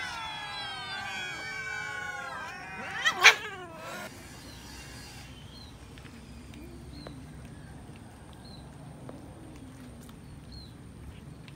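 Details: Cats eating raw chicken; a wavering meow opens, followed by a sharp loud burst of clatter, then quieter faint chirpy sounds and low background noise.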